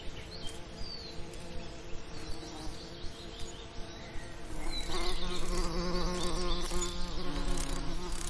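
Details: Over summer lavender, bees hum in a low, steady drone that swells louder as they fly close, with faint higher chirps in a soft outdoor background.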